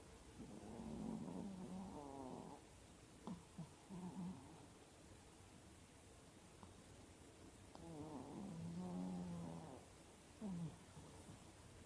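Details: Four-year-old female Chihuahua asleep with eyes half open, snoring in slow, raspy, rattling breaths that come in bursts of a couple of seconds each, separated by quieter pauses, over a steady low hiss.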